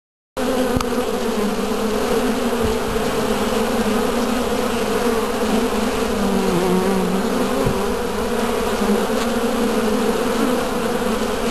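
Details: Many western honey bees entering and leaving at a hive entrance make a steady, droning buzz with a low hum and layered tones.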